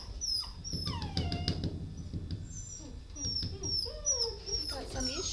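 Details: Dog giving high, thin whines and yelps that slide downward, several overlapping in quick succession, with low background rumble and faint voices.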